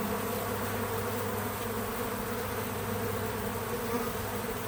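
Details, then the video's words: Outdoors on a small farm, bees gather at a feeder, giving a constant low droning hum of overlapping buzzes that holds steady throughout, with a light background hiss and no voices. "Relaxing Bees at the Feeder 🐝 | Natural Buzzing Sounds"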